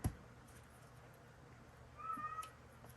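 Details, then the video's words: Male Siamese cat calling loudly indoors; one drawn-out, steady, tonal meow late in the clip, preceded by a sharp knock and quiet room hum. "y'all hear that cat? He drives me crazy. Anybody want a Siamese cat?"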